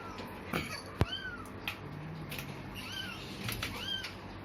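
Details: Newborn kitten with eyes still shut, one of four abandoned on a cloth in a cemetery around dusk, gives several short, thin, arched mews about every second; a sharp click and low background hum accompany.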